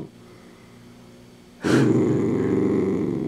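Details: Over a crunchy handmade treat, a Dachshund breaks a quiet stretch with a sharp noise, then a loud, sustained low growl that rumbles on without pause.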